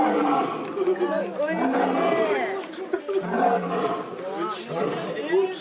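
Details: Male lion at close range in Higashiyama Zoo, Japan, giving a deep rumbling roar with several grunting pulses in succession, heavy harmonic bands sweeping up and down, a brief pause near the middle, then more rasping grunts.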